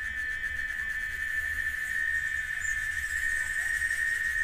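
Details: A cicada (chicharra) in Oaxaca, Mexico, sings a steady, unbroken high-pitched drone that holds one pitch without pause.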